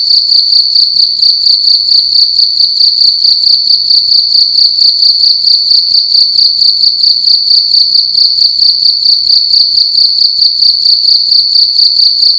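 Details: Night-time cricket in a room, chirping loudly with a continuous high, ringing trill that beats in fast regular pulses, steady in pitch and volume throughout.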